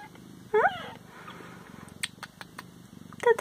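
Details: Pet Siamese cats at home around feeding time: two short rising-then-falling meows, one early and one at the end, with a woman speaking French and light clicking and tapping noises between.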